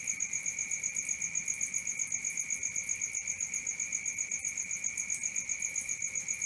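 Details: Night-time cricket chorus, a continuous high shrill trill pulsing rapidly and regularly at even loudness, layered as two steady tones, with soft low-level hiss beneath.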